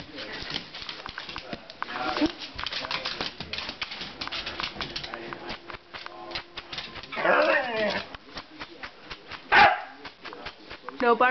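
A Siberian Husky gives wavering, yowling howls and grumbles, asking to go outside while a person talks.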